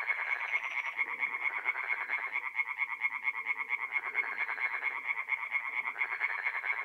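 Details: Tree frogs singing by night at a forest pond in mid-April, north-east Italy: a dense chorus of rapid, regular croaks, about two per second, ringing steadily through the whole stretch with overlapping callers.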